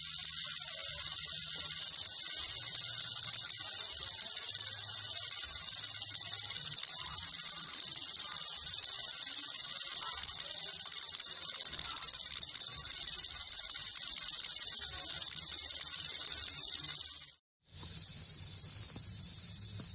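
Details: Steady, intense high-pitched buzz of a rattlesnake rattle held for about seventeen seconds, with a faint low hum beneath, a brief silent break, then the buzz resuming.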